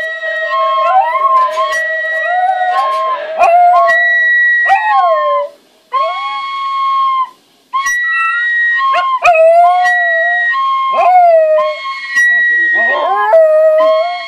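A dachshund howls along with flute and guitar, its voice wavering, sliding and breaking between notes.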